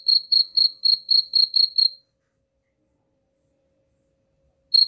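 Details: Cricket chirping used as a rat deterrent: eight quick high chirps in two seconds, then nearly three seconds of silence before one more chirp at the close.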